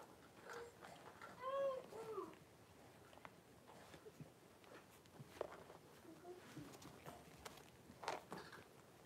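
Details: Blenheim Cavalier King Charles Spaniel puppies from a litter of five, born on New Year's and filmed 26 January 2023 with their mother Paris in an indoor puppy pen; one clear high whimper slides downward, then soft shuffling and clicking sounds.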